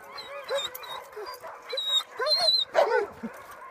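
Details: Tamaskan dogs Zephyr, Adak and Tahlulla at a play date, trading rapid squeaky yips and whiny play barks, some sliding upward and down, voices overlapping in a busy rough-and-tumble burst.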